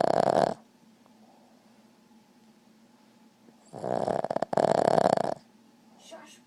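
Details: Boston Terrier sound asleep and snoring: a short raspy, breathy burst at the start, then a long rasping snore with a brief break, and a quiet steady hum between the snores.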